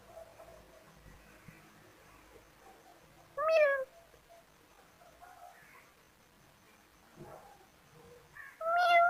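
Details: Kittens at play produce two separated meows, each a short, bright, wavering cry. Long stretches of quiet rustling and soft background noise fall between them.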